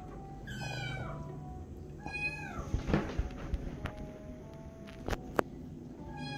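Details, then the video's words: Tiny kitten angered and jealous as an adult cat gets attention from a person, uttering repeated strained meows that slide downward, two close together then one more at the end, amid thumps, taps and a steady background tone. "Tiny jealous Kitten angry when Cat gets attention from Hooman"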